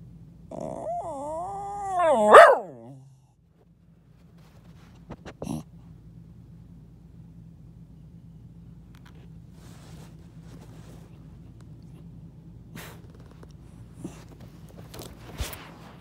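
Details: Pet dog hiding under a bed, 'talking': a single wavering, moaning whine of about two seconds with rich harmonics. It rises into a sharp yelp-like burst, then gives way to near-silence, a low steady hum and a few faint clicks.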